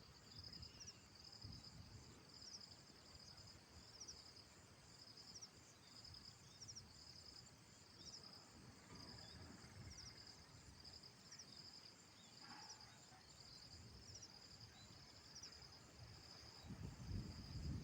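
Insects trill in a steady, high-pitched chorus with rapid pulsed chirps, over low wind rumble.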